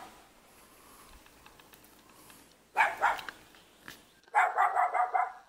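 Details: Cute puppy living in a mountain village near Jeonju, North Jeolla Province, Korea, barking in short bursts: a quick cluster of sharp barks near the three-second mark, then a rapid run of about six barks, with quiet outdoor background between.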